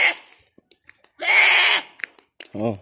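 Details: Kept buck goat, described as very angry, gives one loud, strained bleat of about half a second with a quavering harmonic tone, followed by a man talking nearby.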